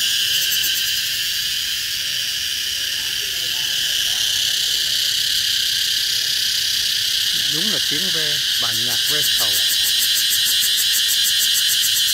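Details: In summer in Vietnam, a single cicada buzzes deafeningly loud and continuously, a harsh high whine with a steady pulsing texture.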